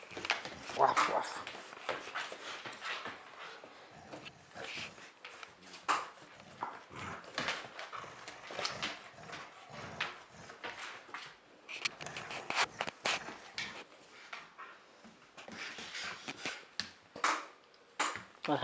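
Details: German Shepherd service dog puppy in training, 13 weeks old, playing tug indoors with a 13-year-old dog; scuffling, short growls and breathy bursts repeat irregularly, with a person's voice now and then in a small room.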